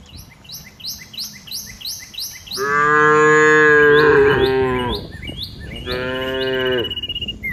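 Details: Cows out in open green fields, walking and grazing as a herd; two long, full-throated moos, the first about two and a half seconds and wavering, the second shorter, with repeated high bird chirps in the background.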